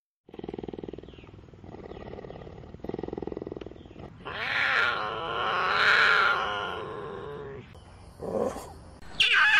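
Cougar giving three low, raspy growling bursts about a second each, then a loud, drawn-out harmonic yowl that swells and fades, ending in short harsh snarls.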